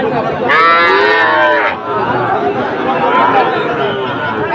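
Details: Sahiwal bulls at a cattle market in Dhaka on 16 September 2024; one loud, drawn-out harmonic moo lasting just over a second, then a steady hubbub of crowd chatter and voices.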